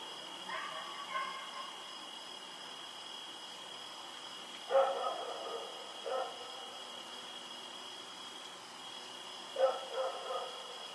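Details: Rex, a dog running around at night, recorded on 7 October 2018: a few distant harmonic barks spaced several seconds apart, two close together near the middle, over a steady high electrical whine.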